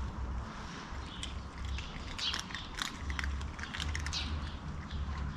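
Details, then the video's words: Affectionate stray cat on a crowded cat street in a blind alley in Istanbul, one of two cats competing for attention and love: a low, steady purring rumble swelling and fading in breath-long pulses, with sharp bird chirps high above. "Two cats competing with each other for love"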